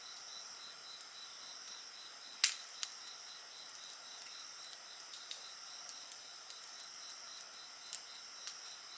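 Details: Steady high-pitched insect chorus, several layered shrill tones with a softly pulsing trill, over a crackling bonfire that gives one loud snap and scattered smaller pops.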